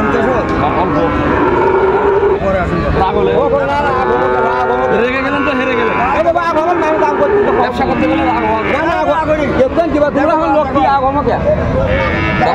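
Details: Sahiwal bull calves at Raniganj market, Dinajpur, 29 August 2024: repeated bellowing moos, some curving and drawn out, overlap with constant crowd talk and market hubbub.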